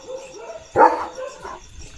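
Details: A single sharp, loud bark from Leo, a German Shepherd roaming his fields, stands out partway through. Quieter voice-like sounds come before and after it.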